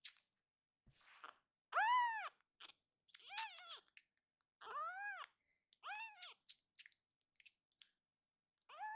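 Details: Foster kitten crying loudly before calming and kneading when held: a run of arched, harmonic meows, several in quick succession, with soft clicks and handling noises between calls indoors.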